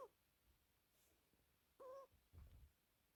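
A sleeping British Shorthair cat snores quietly: a thin nasal whistle, then a soft low rumble.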